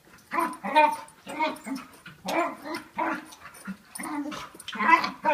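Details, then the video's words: Dog making odd noises while play fighting with another dog, one about a year old and 40 lbs, the other five years and 95 lbs; rapid, choppy growls and whiny yips in quick bursts roughly every half second. "Dog makes weird noises while play fighting with another dog"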